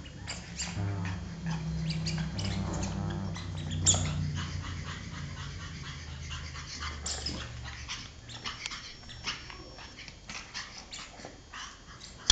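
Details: A pug named Giulia plays with a toy pig, giving deep, rough grunting snorts through the first four seconds. Scattered clicks and rustling handling noises follow.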